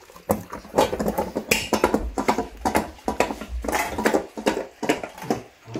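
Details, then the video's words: Black and yellow Labrador Retrievers, Tico and Remi, eating a raw meal of quail eggs, chicken bones and egg rice; heavy wet gulps and crunches with dull bowl knocks, in clustered bursts. "卵かけごはんTKGを食べるラブラドールレトリバー/うずら生卵/Quail Eggs/生鶏骨/咀嚼音"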